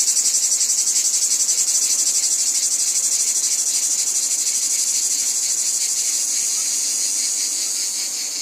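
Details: Wheat field cicadas in full chorus, a steady hissing high buzz with a fast throb near four beats per second, fading slightly in the final seconds.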